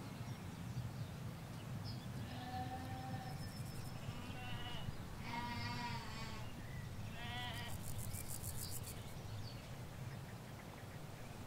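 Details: Sheep, ewes with their lambs, grazing a Hampshire field beside a hedge; several short wavering bleats overlap mid-clip, rather faint against a constant low hum of traffic, with a few thin bird chirps.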